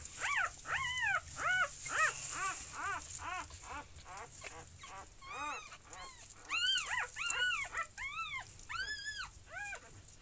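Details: Puppies born on 12 June 2019, recorded that day or the next, squeal in rapid arched, nasal whimpers about twice a second, with brief softer gaps and stronger, higher cries in the latter half; faint background hiss.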